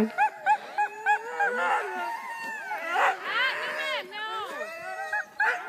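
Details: Huskies getting ready for sled mushing in Wardsboro, Vermont, yip and yodel excitedly in short rising and falling bursts, several voices overlapping.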